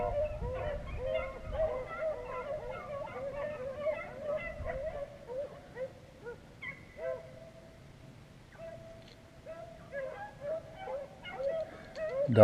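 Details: After about six hours of running rabbits in Vera, Virginia, a beagle pack keeps baying with quick repeated bawls. The chorus thins to scattered single bays, then picks up again toward the end.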